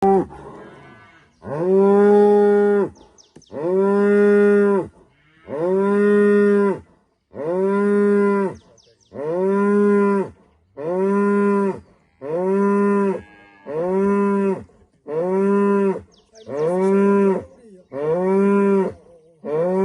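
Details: Female cow in rural Rwanda greeting the morning at sunrise with a rhythmic series of about eleven loud, steady, harmonic moos, each roughly a second long, spaced by short silences.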